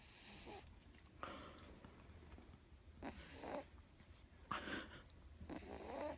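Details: Sleeping female Miniature Schnauzer puppy Ewok breathes noisily, alternating breathy hissing snores and softer wheezy exhalations at an uneven pace of about one per second.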